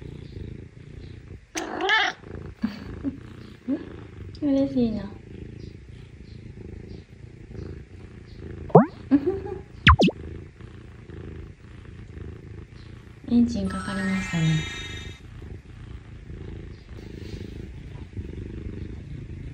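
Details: A young male Scottish Fold cat, the younger of two brothers, is affectionate and wants attention, and purrs with a low, steady, engine-like rumble while a woman speaks softly.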